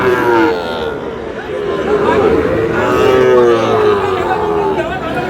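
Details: Sahiwal bull calves for sale at Aftabganj cattle market in Dinajpur at the start of market day, 8 August: drawn-out, mid-pitched moos with steady tones rising and falling. Constant crowd chatter and bargaining voices throughout.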